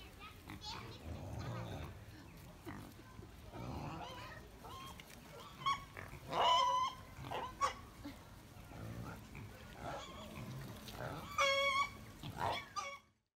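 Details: Wild pigs on a farm giving scattered low grunts and a few loud, harsh squeals around the middle and near the end, with people talking in the background.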